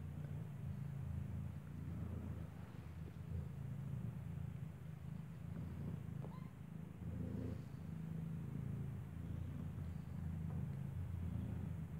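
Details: Steady low rumble of passing traffic and engine noise outdoors, with no animal sounds.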